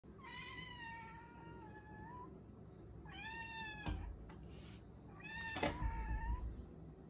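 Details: Ragamuffin cat indoors approaching a baby, giving long drawn-out meows with rich harmonics, each about two seconds, three calls with short gaps, some rising then falling, a thump near the end in a quiet room.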